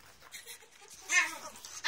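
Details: Rana the Chihuahua, a pet dog recorded from 23 November, making soft, high, tonal whines that rise into a brief, louder yelp, then a final sharp note.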